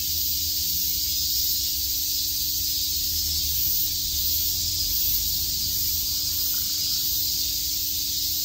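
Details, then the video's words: Cicadas on a summer day in Shakujii Park, Tokyo, keep up a steady, piercing buzz with slight swells in intensity, set against a soft low hum of distant noise. "Cicada chirps"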